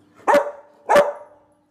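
A Rottweiler gives two sharp, harsh barks just over half a second apart.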